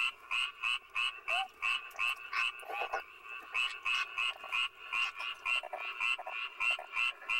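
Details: Korean fire-bellied toad, called a soldier frog, ignoring a snake: short rhythmic croaks repeated about three times per second in a steady series, with a second caller overlapping at times.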